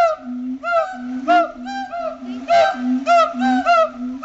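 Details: Zoo-kept siamangs at Riverbanks Zoo, day after Christmas, duet to mark their territory using throat-sac booms and barks. Honking, rising-falling barks come about every half second over a sustained low tone.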